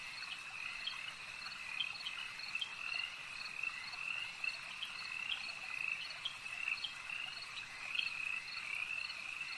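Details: Frogs calling at a lake at night: a dense, continuous high-pitched chorus with shrill trills and short repeated pulses layered over a steady ringing drone, with no other clear sounds.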